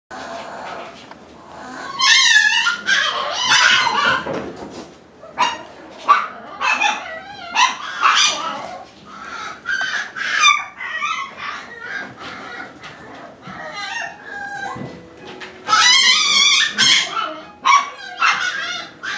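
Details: Several 5-week-old Alaskan Klee Kai puppies call together with thin, quavering whines and short yelps rising and falling in pitch, in irregular overlapping bursts in a small indoor room.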